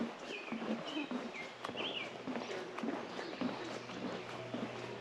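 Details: In Grundy Lake Provincial Park during its late June–early July breeding season, a green frog gives its banjo-string call: short, low twangs like a plucked banjo string, while birds chirp above.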